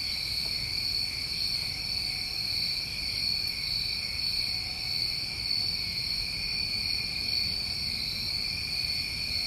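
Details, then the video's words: Steady high-pitched chirring from many crickets on a New England summer night, the tones holding level throughout with gentle swells in loudness and a faint low hum underneath. "Over 1 Hour Of Tinnitus Masking With Crickets"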